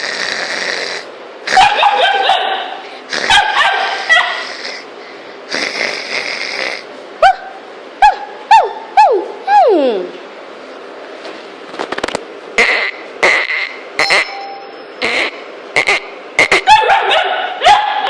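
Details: Three-month-old Weimaraner puppy reacting to weird noises, September 2013; a run of high, sharp yips and whining cries, some sliding downward, in irregular bursts with short pauses throughout.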